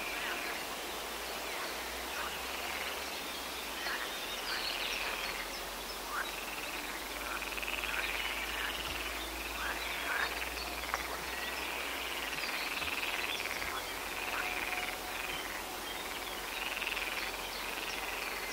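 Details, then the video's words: European tree frog males calling loudly at night at a pond: rapid, harsh, pulsed notes in quick runs of about four per second, delivered in repeated bursts over a steady hiss of background noise. "Laubfrosch im Gebüsch u. nachts rufend - Tree frog calling at night"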